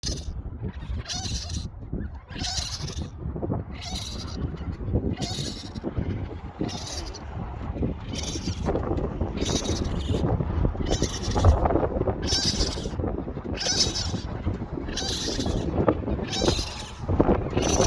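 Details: Baby raccoons removed from an attic and placed in a heated box give repeated high, hissy chittering cries over a low, rumbling background, calling for their mother.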